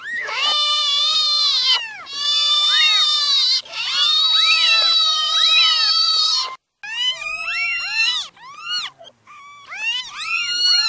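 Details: Newborn kittens crying: long, steady, shrill mews held for up to two seconds, overlapping between several kittens, followed by shorter arched squeaks in rapid series.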